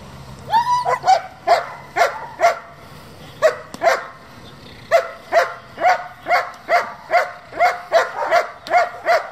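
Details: Working German Shepherd from a breeding and competition kennel, barking loudly in a long, fairly steady series of sharp mid-pitched barks, roughly two or three per second after a short early pause.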